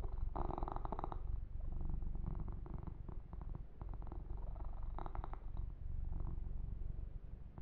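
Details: Male kitten purring contentedly under massage and fur grooming; a low, even, rapidly pulsed rumble underneath, with brisk rustling strokes at the beginning and around five seconds.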